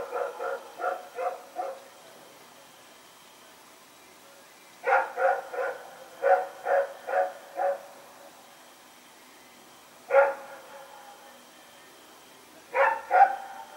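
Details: Dog running around and barking at night, recorded 21 September 2018; bursts of three to five sharp barks, then quiet pauses of a few seconds, with single barks near the end.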